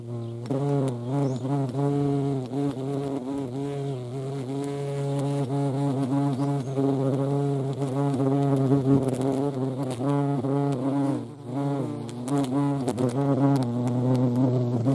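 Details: Hornets at a feeding place shared with ants in Dohr, Eifel, on 28 July 2022; a continuous low droning buzz with a steady stack of overtones that wavers slightly, as if several insects hover together.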